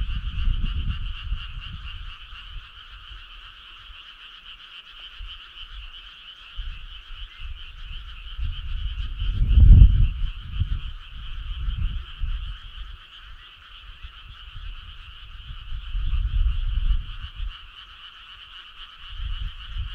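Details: Frogs calling on a summer night in the countryside: a steady, unbroken two-toned chorus hums throughout, while irregular low rumbling thuds come and go, loudest near the middle.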